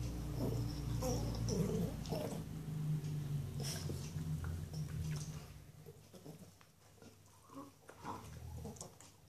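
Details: Norwich Terrier girl working on a delicious bone: a sustained deep grumbling growl for the first seconds, then quieter chewing sounds and soft snuffles.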